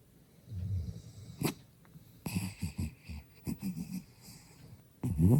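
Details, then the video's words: Deep, gravelly snores from Byeoli, a puppy dozing with a smiling face. A string of short, low rumbles rises and falls, ending in a loud, rasping snort. "웃으면서 자는 예쁜 얼굴에 그렇지 못한 반전 코골이 사운드"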